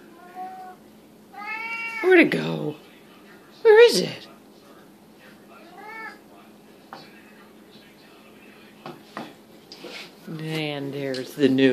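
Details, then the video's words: Siamese cats indoors at feeding time, loudly demanding their food. Short, bent meows and squeaky cries come in scattered bursts, ending with a low, drawn-out wail. A man speaks in between and there are some clattering household noises. "Siamese noisemakers"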